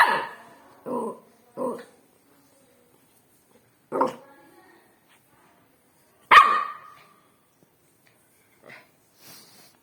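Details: A pet dog barks in a quick run of three gruff barks, then two spaced single barks, one loud and sharp. Fainter sounds trail off afterward in a quiet room.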